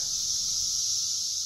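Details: A steady, high, hissing drone of Brood X periodical cicadas, emerged in 2021 after 17 years underground, calling together in trees as a mating call.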